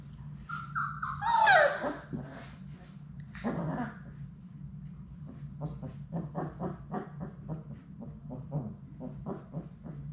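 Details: Labrador Retriever puppies, part of Sadie's litter of six, playing in their puppy play room; one high whine slides downward for about a second, followed by scattered clicks and scuffles of paws and toys over a steady low hum.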